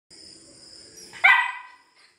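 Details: German Shepherd puppy giving a single sharp, yelping bark lasting about half a second, with rich harmonics falling away quickly, after a quiet stretch with faint steady high-pitched tones in the background.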